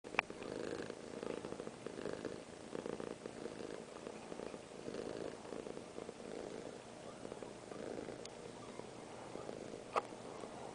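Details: Piper, a small pet cat, purring while held by her owner; a steady rumbling purr with rhythmic pulses in breathing cycles roughly every second, plus a couple of sharp clicks near the start and end.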